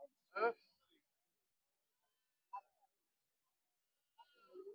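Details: Goat at the Vavi goat and sheep market near Sinnar, Tuesday 28 October 2025: one short, loud, wavering bleat near the start, then a fainter brief call and a soft low sound at the end, with near silence between.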